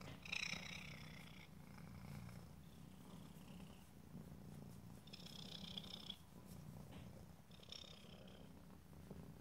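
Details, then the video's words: Close stereo recording of a cat's purr: steady low rumble throughout, with several short nasal, whistling breaths layered above it. "ASMR Cat: Purring"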